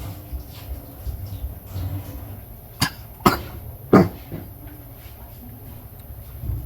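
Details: At a South African vervet monkey rescue sanctuary, during a respiratory virus outbreak in baby season, a male vervet monkey (Chlorocebus pygerythrus) gives a few deep, harsh coughs, a symptom of the infection.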